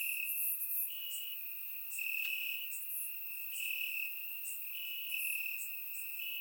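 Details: Crickets in grass at night during a warm Bulgarian summer: a sustained piercing trill alternating between two close pitches, with scattered higher bursts of insect chirps layered above.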